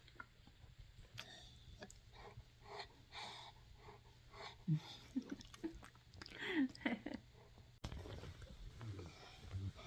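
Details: Cane Corso named Blade greeting its owner at home with a toy, making happy, piggy-like noises: short squeaky whines and grunts that bend up and down, mixed with snuffling sniffs and a woman's soft talk.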